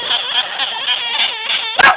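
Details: A newly acquired baby female sugar glider, still scared, gives a steady, wavering, whiny cry, the noise sugar gliders make when frightened.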